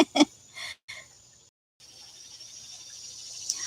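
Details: Outdoors on a morning in hay fever season, a steady, high, shimmering cicada drone that is likened to a squeaky swing set runs in the background, with a few brief knocks and a voice at the start.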